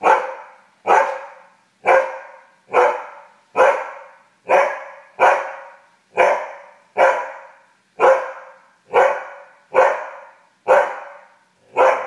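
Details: Angry husky indoors barking at a satellite TV that lost signal, a long steady series of loud, harsh barks repeated roughly once a second without a break.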